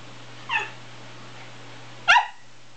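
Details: West Highland White Terrier giving two short, sharp, high-pitched barks about one and a half seconds apart, each a bright harmonic yelp, over a steady low electrical hum.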